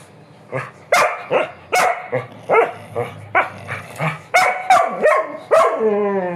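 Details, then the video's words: Dog at 5 a.m. in Brazil urging its owner to take it for a walk, giving a quick irregular series of sharp barks and yips, ending in a drawn-out falling whine. "Nina às 5:00 da manhã me chamando pra passear"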